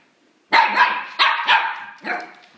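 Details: Dog barking at a freshly gifted cuddly rabbit it treats as a playmate: loud, rasping woofs, two quick pairs followed by a single drawn-out bark that fades.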